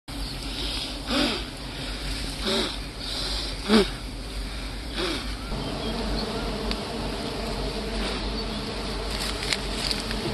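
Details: Big honey bees at a honeycomb in hardwood trees during a honey harvest: a dense, steady hum of many bees with low harmonic bands, a few louder passes, faint voices nearby.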